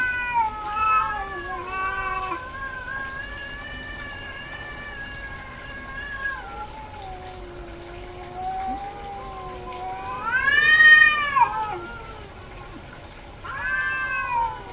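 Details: Domestic cat, a female in heat, calling insistently: long drawn-out yowling meows with wavering, rising and falling tones, some lasting several seconds, with louder arching cries near the end and short pauses between calls.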